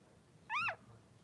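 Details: Newborn Blenheim Cavalier King Charles Spaniel puppy, three days old, one of two boys in mother Pom-Pom's puppy pen, gives a single short, high, harmonic squeal that dips slightly in pitch, against a quiet indoor background.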